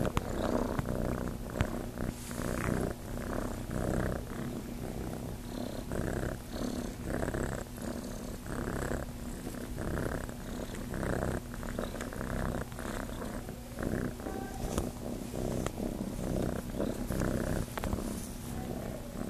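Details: At Starlight Farm, young cat Chase looks to nurse and purrs steadily: a deep, pulsing rumble that swells and dips in loudness across the whole stretch, with occasional light rustling.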